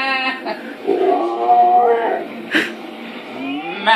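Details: A male Alaskan Malamute howls along with his owner, singing a song in drawn-out, wavering tones that rise and fall.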